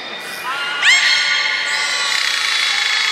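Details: At Port of Nagoya Public Aquarium on 14 October 2019, belugas Gray, Nana and Niko in training give a quick rising squeal that levels into a long, bright, steady tone, set against indoor crowd noise.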